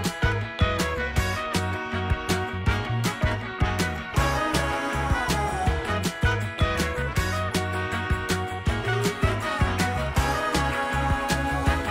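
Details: Upbeat funk-style music with a steady bass and drum beat and bright horns fills the whole stretch, with no animal sound.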